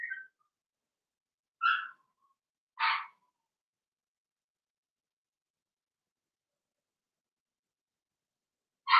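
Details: Young Blenheim Cavalier King Charles Spaniel puppies, part of a litter of six, kept in an indoor pen during potty training, giving brief high squeaky yelps spaced by long silences.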